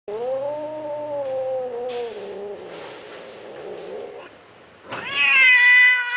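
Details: A kitten gives a long, drawn-out, tonal meow lasting about two seconds that slowly slides downward, followed by softer wavering cries and then a sudden higher, rising and falling meow near the end.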